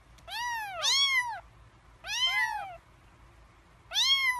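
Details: Three-week-old kittens begging before eating: clustered high meows, two voices overlapping at first, then single arched cries roughly every second and a half over a faint low hum.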